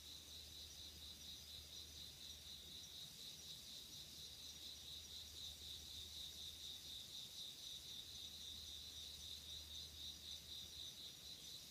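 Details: Night insects singing in autumn 2016, heard from late summer into fall: an unbroken high trilling chorus, pulsing rapidly and evenly, with a soft low-frequency hum in the background.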